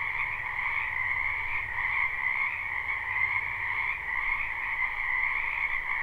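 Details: Many frogs croaking in a spring wetland behind a house, recorded live at night: a dense, continuous chorus of overlapping trills with two steady bands, one high and one lower, and a faint low hum beneath.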